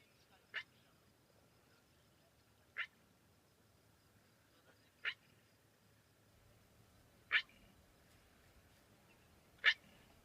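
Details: Black wildebeest giving its territorial call, a regularly made call: five short, sharp, clipped calls spaced evenly about every two and a half seconds, with a quiet, still background between them.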